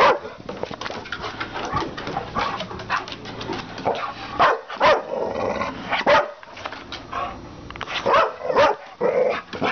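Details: Two-year-old red Staffordshire Bull Terrier, half English and half American Staffordshire, a guard dog at Banora Point, barking at its owner: rough, mid-pitched barks and growly vocalising in irregular bursts, close and loud.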